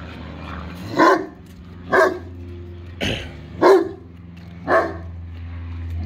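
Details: English Mastiff and German Shepherd mix dog barking at a pool blow-up toy; five single deep barks, roughly one per second, over a steady low hum.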